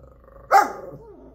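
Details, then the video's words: Domestic dog reacting to talk of a cat outside, having been told an animal was there; one single loud bark with a rough edge, followed by a faint low trailing sound. "How to make your dogs bark."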